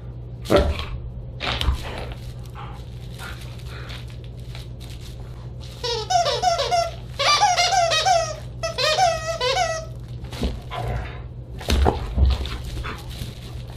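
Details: Siberian Huskies at a dinner party on December 29, 2022 give wavering, yodelling whines and howls indoors, with thumps and background noise.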